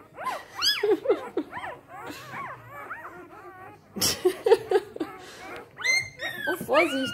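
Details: A-litter Samoyed puppies at three days old cry in rapid overlapping squeals, shrill up-and-down whines tumbling about four per second, with brief louder clusters and a woman's quiet German voice in between.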